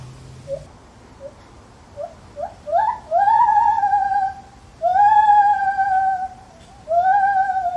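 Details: Zoo lar gibbon starting with soft short rising hoots that quicken and climb, then breaking into long, loud, level whistled wails, each held about a second with clear harmonics, over a quiet indoor hum.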